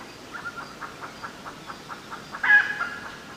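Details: A smooth-coated otter fishing at the Karnali River, Bardia National Park, Nepal, gives a quick run of short, squeaky chirps, ending in a louder squeal.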